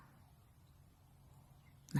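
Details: A deer gives one short, explosive, very loud startle alarm call near the end, after quiet background hum, as it grows dark.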